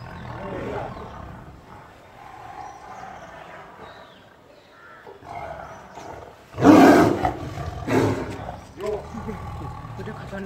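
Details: A tiger in a zoo gives two loud, rough roaring bursts very close by, with people talking throughout; onlookers call it dangerous and say it roars like this when someone tries to touch it.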